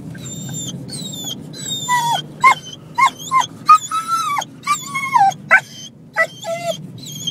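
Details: Excited pet dog making funny noises: a run of high, whining yelps that bend up and down, some drawn out and others short and clipped, over a low steady hum.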